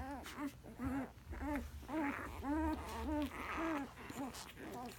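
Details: Newborn Alaskan Malamute puppies, one day old, repeat short arched squealing whines about twice per second, each bending up then down, over a faint low hum.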